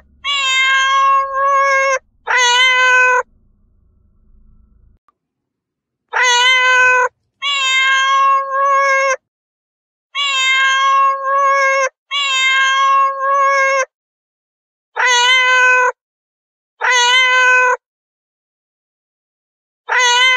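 A domestic cat gives a run of drawn-out, harmonic meows, each about a second long.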